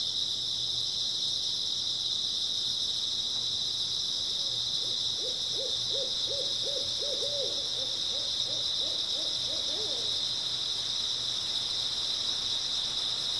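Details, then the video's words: Grass insects chirring steadily through an early autumn night make an even high wall of sound; midway, a low series of rapid arched notes from another animal rises and fades over about six seconds. "초가을 밤부터 새벽까지 백색소음 풀벌레 소리"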